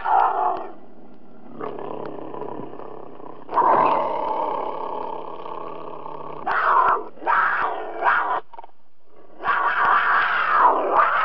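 A cougar gives a series of harsh, raspy growls and snarls, about five rough bursts over eleven seconds with short pauses between them.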